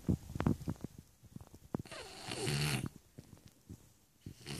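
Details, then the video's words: Stefani, a Shar Pei dog, snoring: quick snorting clicks and short nasal bursts, then one longer rough, rattling inhaled snore, with more snuffling afterwards. "Шарпей Стефани храпит."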